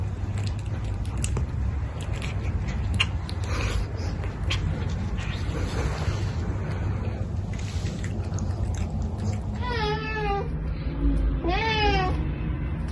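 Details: Captain, a ginger cat, being given medicine with food indoors: after a stretch of Cantonese speech and steady background noise, two wavering meows rise and fall near the end, about a second and a half apart.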